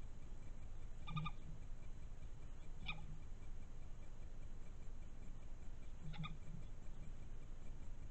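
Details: European badger cub filmed by a trail camera on 16 June 2021; three faint, short squeaky calls with stacked overtones spaced a few seconds apart over a low steady background hum.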